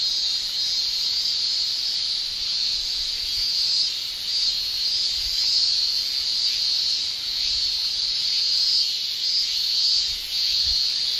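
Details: Japanese cicadas, males singing with their tymbals in summer, fill the air with a continuous high-pitched shrilling that swells and dips softly, with brief dips in loudness near four and ten seconds.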